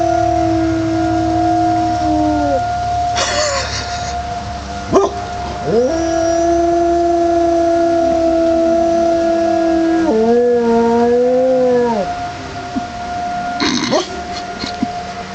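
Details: A male pet dog outdoors on a cold Michigan winter day, January 1, 2005, howls in response to the city's 1:00 pm tornado siren test: long sustained moaning howls that sag at the ends and arch briefly, under the siren's steady wailing tone.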